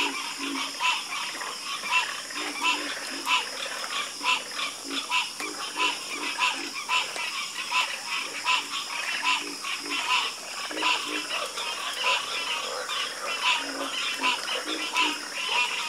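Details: Chorus of frogs croaking: dense, overlapping harsh pulsed croaks with rich harmonics repeat rapidly and steadily throughout. A faint high steady hiss or insect hum sits beneath the calls.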